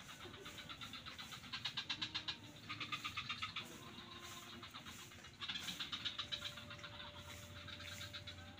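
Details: Swamp frogs near Kuta beach in Bali, several calling at once, trains of fast rattling pulses rising and falling in loudness, bursts overlapping over a constant background drone.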